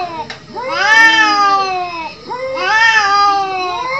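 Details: Fighting cats trade wavering, harmonic-rich yowls, two long swelling wails about two seconds apart with voices overlapping.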